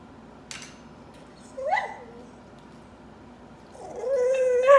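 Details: A crying dog gives a short rising whimper, then a long drawn-out whine that bends upward with a clear harmonic stack, over a low steady room hum.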